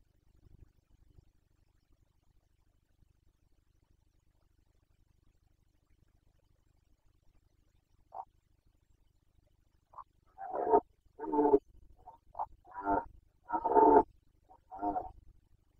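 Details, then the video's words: Carpathian red deer stag roaring during the breeding season rut in Bucovina, Romania, in 2021: a series of loud, hoarse, drawn-out bellows building after a quiet start, about six calls in the last seven seconds, each rough and resonant. "Boncănit / Carpathian stag Breeding season 2021"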